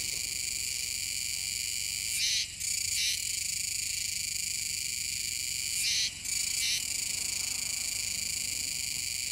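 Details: Kuroiwa's cicadas singing near the Kōme River mouth, Tenjin-chō, Nishinoomote, Tanegashima, Japan, on 7 September 2022: a dense, steady high buzzing drone broken twice by louder rasping bursts, each followed by a short dip, about four seconds apart.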